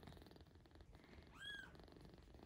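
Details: Tiny rescued kitten, about a week old, being fed milk indoors: a steady, fast pulsing purr runs throughout, interrupted midway by one short, clear rising-and-falling mew.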